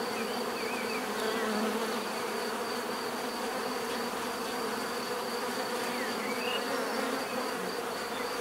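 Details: Continuous bee buzzing forms a thick, even drone of layered tones, with a thin steady high-pitched whine above and occasional brief chirp-like sounds over the hum.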